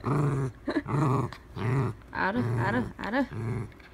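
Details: Dachshund being played with at home, growling steadily in deep, throaty rumbles that come in pulsing bursts about every half second, with some higher rising whine-like inflections near the end.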